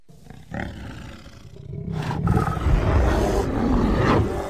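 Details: Deep rumbling growl from a bear encountered in the woods next to a home, starting softly and swelling into a continuous, heavy, low-pitched snarl.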